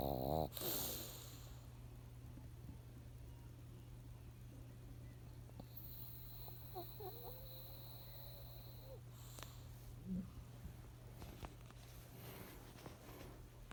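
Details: Monaka, a female pug kept indoors and taken in three months earlier, sleeps on a black carpet and snores while her face twitches as if dreaming; a low, steady rasping drone carries throughout, with brief faint higher noises over it.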